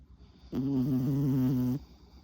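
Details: A single drawn-out snore, just over a second long, low and humming with a slight wavering, from Tuna, a worn-out four-year-old male Chihuahua sleeping with his tongue out after a rare hour-long walk.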